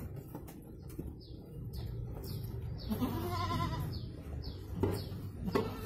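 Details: Goat in Indonesia during the birth of two kids, giving one tremulous wavering bleat midway, with a steady series of short high descending chirps repeating through the recording over low rumbling noise.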